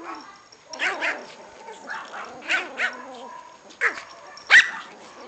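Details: Six-week-old Pomeranian puppies, two of them, eager to play, giving scattered soft yips and whiny barks under quiet human talk, ending on one louder, sharper yip.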